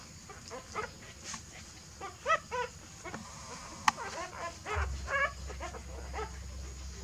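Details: Dog family as a mother dog moves her puppies to a new nest: quiet, thin whimpering squeals in short bursts, a few stacked rising-falling notes mid-way, over steady low background hum and a sharp click.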